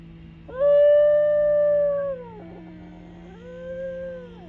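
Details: At the Colorado Wolf and Wildlife Center, a New Guinea singing dog gives its yodel-like howl: a pure sustained note that slides down, breaks, then climbs into a softer second phrase, over a low steady hum.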